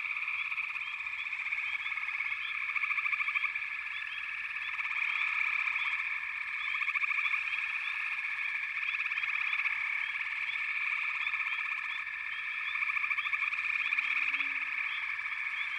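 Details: Massed frogs trilling continuously in layered high-pitched pulses, punctuated by frequent brief rising chirps, the chorus ebbing and surging in waves, with a faint low hum near the close.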